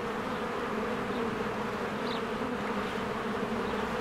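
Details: Busy honeybees working at their cozy hive in spring. A constant low buzz holds steady, and one brief faint bird chirp cuts through near the middle.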